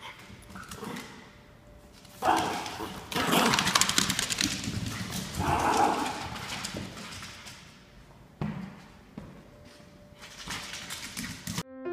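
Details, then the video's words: Ernie, a Norfolk Terrier puppy standing his ground, gives rough growling bursts with a few sharp yaps, loud irregular outbursts separated by quieter pauses, inside a small room. "Norfolk Terrier Puppy Ernie Stands His Ground"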